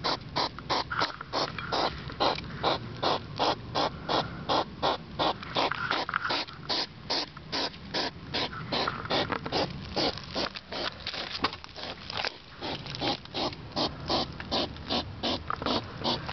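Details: Loud pig-like sniffing of a European hedgehog outside at night, 10pm, 3 September 2009: rapid rhythmic breathy snorts, roughly two to three per second, steady and unbroken for the whole stretch.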